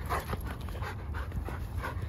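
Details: German Shepherd up for adoption, panting in quick rhythmic breathy huffs, roughly three or four a second, over a steady low rumbling background.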